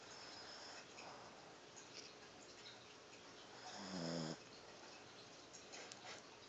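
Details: Little puppy named Chia asleep and snoring; one short nasal, buzzy snore swells and fades near the four-second mark, with softer breathing and steady background hiss around it.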